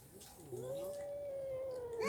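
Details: House cat from the pair Mickey and a red cat. A quiet, long, steady meow rises slightly and holds its pitch for more than a second over a faint hiss, then swells at the end.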